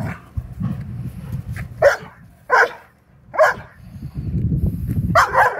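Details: A Vizsla playing ball gives short, sharp barks, spaced roughly a second apart.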